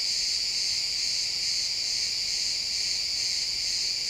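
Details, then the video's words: Pine forest crickets at sunset, XY stereo recording, keep up a steady high buzzing chorus of fast pulsed chirps, continuous and even for the whole stretch, no other clear sounds. "Cricket sounds in the pine forest"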